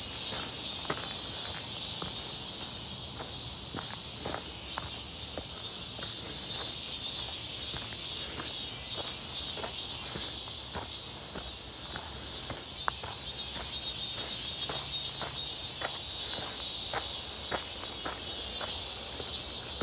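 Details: Near Seonbawi on 1 August 2023, a clear scorching midsummer day, cicadas fill the air during a walk with a constant piercing buzz, wavering slightly in intensity, accompanied by rhythmic footsteps.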